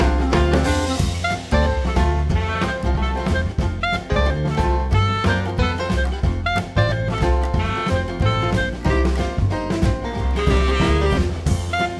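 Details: Lively swing jazz with drum kit and brass-like melody fills the recording, with no animal sounds present.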